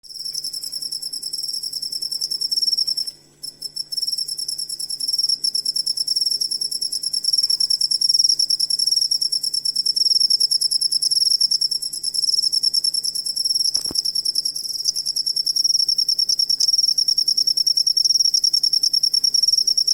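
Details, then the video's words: Cricket used as a tutor sound for training songbirds: a continuous, high, rapidly pulsed chirping trill, about three pulses per second in loudness, steady throughout with a brief dip and a click early on. "Asli Ampuh Suara Jangkrik Buat Masteran Burung Kicau"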